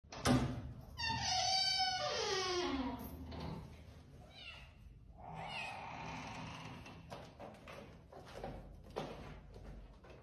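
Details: Kitten crying and meowing loudly, one long drawn-out wavering meow that slides downward, then a fainter second meow, over steady background hiss and occasional thumps.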